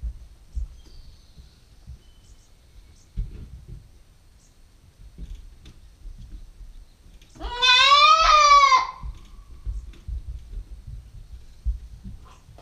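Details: Single bleat from a 9-week-old female Nubian goat kid on a GoPro stakeout: a strong, slightly rising then falling cry lasting about a second, amid quiet knocks and rustling before and after.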